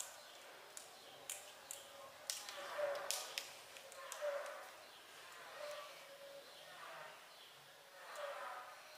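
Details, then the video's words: Mother cat vocalizing as if singing karaoke: drawn-out, tonal, harmonic mews rising and falling, about every one to two seconds, with sharp clicks and knocks between them. "Mother cat seem to be singing karaoke"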